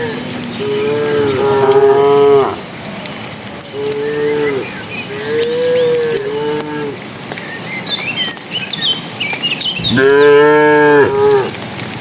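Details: Cattle herd entering the pen in the evening, driven by a herder; a run of medium moos, a few shorter, gently arching ones, then a loud full moo near the end, with faint bird chirps behind.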